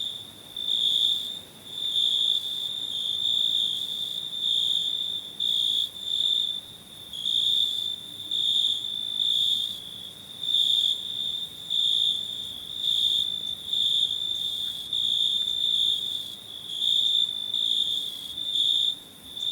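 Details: Unbroken shrill cricket trill, rising and falling in volume in regular surges, with no other noticeable sounds.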